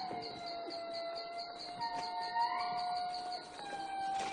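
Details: Long, sustained siren-like wailing from an indri group close by in Madagascar's forest, one call swelling and rising in pitch. These are communication cries between neighbouring groups, and the groups are moving about.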